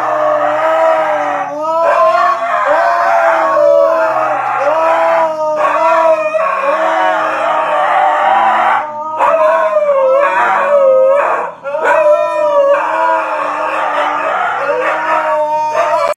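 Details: Several Siberian Huskies yelling like crazy at a calm golden retriever; overlapping wavering, yodelling howls rising and falling in pitch, in bursts separated by short breaks over sixteen seconds, loud and continuous.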